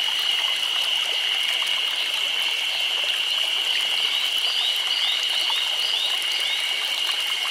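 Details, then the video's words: Summer cicadas in Nagano, Japan, forming a constant, piercing high drone, even and sustained, overlaid by small repeated upward chirps from other insects or birds. "Chorus of Cicadas"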